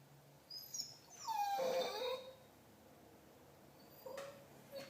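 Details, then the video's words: Pet dog Marley giving a drawn-out, falling moan-like whine lasting about a second, followed by a shorter faint whimper near the end; low hum in the background. "Marley making noises (chewbacca dog)"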